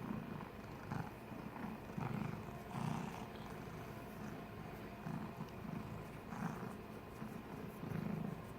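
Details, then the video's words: Snoring cat with a slow rhythm: low, raspy rumbles swell and fade about once a second, each breath a soft grating pulse, over quiet steady room noise. "BIG-CAT SNORING"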